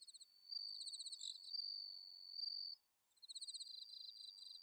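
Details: Bell cricket song on an autumn night in Chiba, Japan, recorded at Inba-numa rice fields, alongside other crickets: a long high ringing trill over pulsed chirps, a brief silence, then rapid pulsed chirping resumes.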